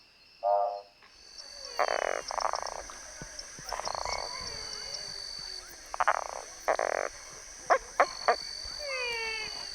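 A Boana semilineata treefrog gives short, pulsed, rasping croaks in bursts against a steady high insect drone.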